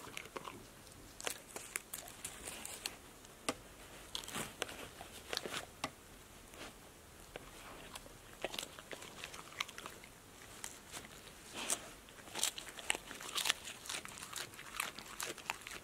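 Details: Passport, a pet dog, eating crunchy snacks such as apple slices, lettuce leaves, sunflower seeds in the shell, tomatoes and green beans: sharp, irregular crunches and bites follow one another, several per second, over a quiet background.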